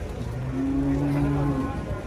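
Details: A single sustained, low, even moo from one of a group of agitated cows unloaded from a truck, heard over a steady murmur of background noise.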